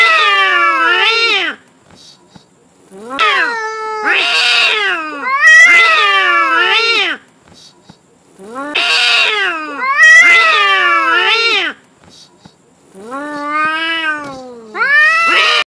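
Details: Angry cats, a white-grey cat against an orange cat, fighting over territory: long wavering yowls with rich harmonics, rising and falling in pitch, in drawn-out bouts of about two seconds separated by short silences, several overlapping.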